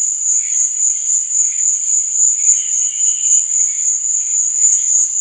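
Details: A night cricket soundscape for sleeping, with an unbroken high shrill trill and soft, fluttering lower tones surfacing briefly several times.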